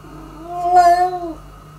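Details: Former stray cat indoors, stealing food from the resident cat; one drawn-out meow lasting about a second, steady and slightly rising in pitch with a clear harmonic ring, over a faint low electrical hum.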